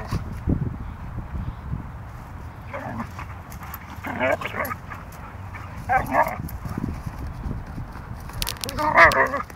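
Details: Wrestling Siberian Huskies Delta and Molly: scattered growls and short yips and whines break through the rumbling scuffle, closing with a sharper, louder yelp-like cry; a human voice is heard faintly.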